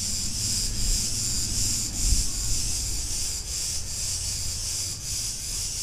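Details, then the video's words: Cretan cicadas calling in a street in Ierapetra, Crete, Greece: a dense, high, hissing buzz that swells and dips in steady pulses, over a heavy low rumble of street noise. "Cretan cicadas sounds"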